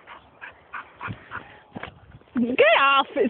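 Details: English Springer Spaniel gives one loud, ringing bark-whine that rises and holds briefly, following a stretch of a person talking.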